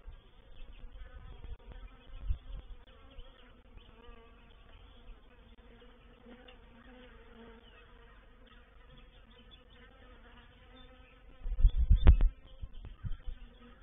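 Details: Reproductive swarm of honey bees entering a swarm trap at Painted Peacock Manor, 04/07/21. A soft, even hum drones throughout, with a cluster of loud bumps near the end.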